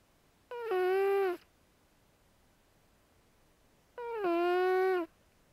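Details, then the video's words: Sleeping female pet cat Zoey, whose vocal cords reportedly never fully developed, gives two steady, nasal-toned snores about a second long, spaced roughly three seconds apart in a quiet room. "Snoring Cat; Zoey"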